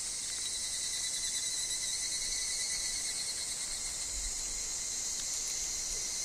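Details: Higurashi cicadas heard in woodland among wind and leaf sounds: an even, piercing high hiss-like buzz that never breaks, a faint lower tone alongside, and a brief soft low thump near the end.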